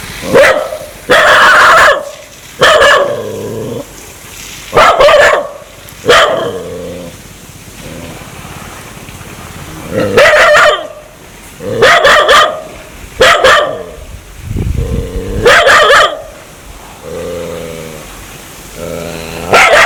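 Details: Aggressive dog wanting to bite people, giving loud, harsh barks in short bursts of one to three, repeated every one to two seconds across about twenty seconds, with lower drawn-out tonal snarling between some bursts.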